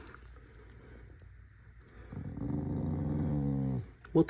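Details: Angry corgi dog producing a single low, buzzy growl of under two seconds after a quiet start, followed by a short sharp knock.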